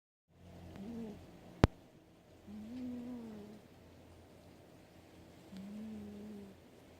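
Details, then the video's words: Domestic cat snoring while asleep: low, soft rasping breaths, each drawn out for about a second, two snores heard with a sharp click between, over a steady background hum. "Boscoe kitty snores"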